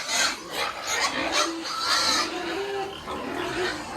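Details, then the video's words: Weaned piglets separated from the sow on a family farm in Penablanca, Cagayan Province, Philippines, give short rasping squeals and grunts, several brief tonal wails sliding upward, packed closely over a few seconds. "PARAAN NG PAGWAWALAY NG BIIK SA INAHIN!"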